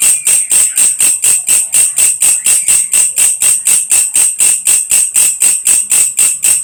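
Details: Belalang kecek grasshopper, also called belalang krek-krek or belalang kerik, used as a training sound for lovebirds: sharp, high, rasping pulses repeated evenly about four times a second, each a bright buzzy chirp, with no other sounds.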